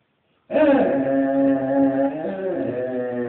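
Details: Basset hound begging on the street, giving one steady, drawn-out howl of about three seconds. The tone is strongly harmonic and holds an even pitch, falling slightly near the end.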